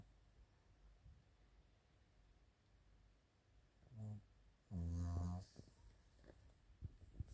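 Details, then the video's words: Chiroru, a female Maltese × Shih Tzu cross born 22 July 2017 (Maltese father, Shih Tzu mother), snoring while asleep indoors; two low, droning, buzzy snores near four and five seconds, then faint soft clicks in a quiet room. "マルシーズー ちろる かわいいいびき"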